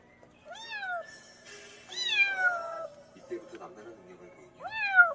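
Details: Countryside kitten meowing, meant as a rat-repelling sound: three drawn-out, downward-sliding meows, the middle one longest, with scuffling and rustling noises between calls.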